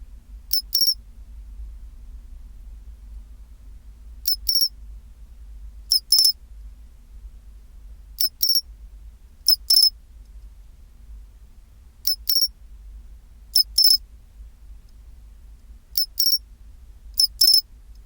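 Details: Sharp, bell-like double chirps of a pine cricket, its chinchirorin at 24°C, about nine bursts spaced one to four seconds apart, each a short click leading into a brief ringing trill, over steady low-frequency hum.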